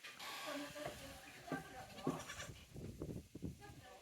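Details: Tokara goat kids on Yoshigake goat farm, Japan, 2 May 2024, including a female kid and a male-female sibling pair; short harmonic bleats early on, then rustling and handling noise with faint voices.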